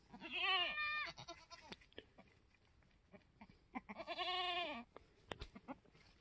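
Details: Newborn Mini Alpine goat kid, an F4 buckling on a homestead on March 13, 2021: two strong, quavering bleats about four seconds apart, with soft rustling and handling noises in between.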